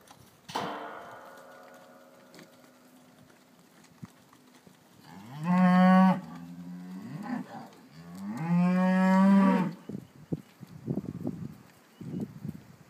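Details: Cattle among cows and calves at Longford: two long, loud harmonic moos, each rising then held steady for about two seconds, with a short bright knock early on and scattered clattering and shuffling afterwards.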